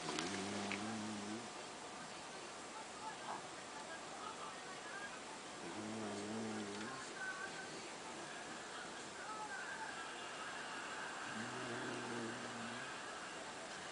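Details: Pet dog asleep and snoring like a husband: three low, buzzy, tonal snores spaced roughly five seconds apart, each lasting over a second, against a constant faint household hum.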